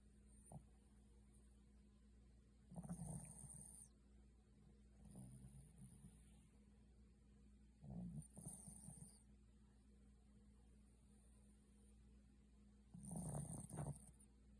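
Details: A Pomeranian named Alto, worn out and fast asleep, snores softly: low rasping breaths come in bursts about every two to five seconds, with a faint steady hum beneath.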